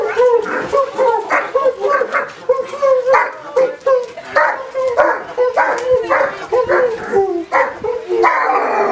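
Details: Irish Wolfhounds welcoming their owners home after three months away, "singing the blues": loud, wavering howls mixed with yelps and barks, several overlapping voices rising and falling in rapid bursts.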